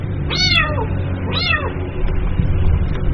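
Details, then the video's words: Kitten calling its mother with two quick, falling meows close together, then only a low rumbling hum remains. "SUARA ANAK KUCING MEMANGGIL INDUKNYA"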